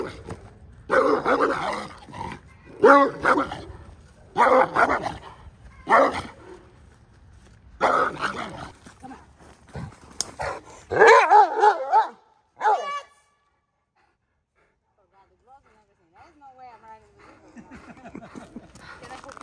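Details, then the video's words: Cane Corso barking during a protection training session at a kennel: a run of deep, loud barks in bursts, several per second, with short gaps, then quieter handling and faint voices near the end. "CANE CORSO PROTECTION training"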